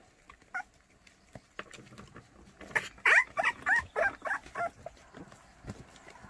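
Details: A litter of white puppies in Cheongdo, Korea, seven white dogs awaiting adoption, lets out a run of about eight quick, bright squealing yelps in the middle, after a few soft isolated squeaks.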